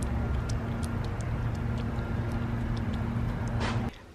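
Steady low engine rumble and hum with no animal calls, cutting off abruptly near the end.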